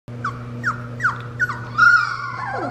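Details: Three-week-old Fox Red Labrador puppies, just finding their bark in a living-room yelling contest, give high, squeaky yips that drop quickly in pitch, then a drawn-out whine.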